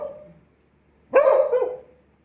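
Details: Pet Beagle barking on command while its owner counts out the barks in Tamil: the tail of one bark fades away, then a sharp, strong, slightly wavering bark follows about a second later and trails off.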